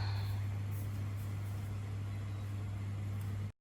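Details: A steady low electrical hum and faint indoor room noise run throughout, with no animal sound audible.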